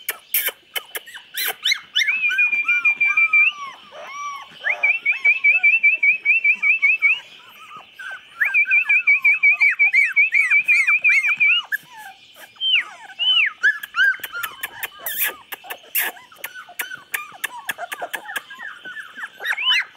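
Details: Litter of 24-day-old chocolate Labrador puppies, November 2014, squealing and whining together; long trilled high whines run in bursts of several seconds between jumbled arched squeaks and sharp tapping clicks.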